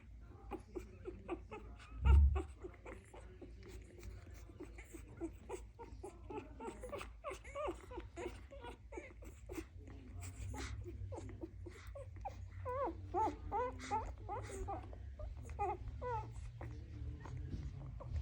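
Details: Dalmatian puppies making noise indoors: many brief, high squeaky whimpers and yelps overlap throughout, growing busier in the second half, with one low thump early on.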